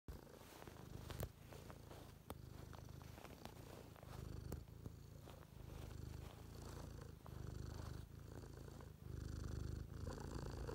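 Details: A purring cat: a continuous low rumbling purr in regular pulsing phrases, quiet, with faint handling clicks.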